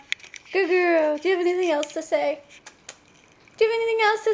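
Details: Siberian Husky named Kiva singing with its owner: drawn-out, wavering howls rich in harmonics, in three long phrases, the last held steady for nearly a second, with short pauses between.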